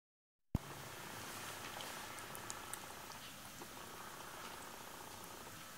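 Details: Maine Coon kittens 27 days old purr in a steady, low, rumbling throb under soft rustling.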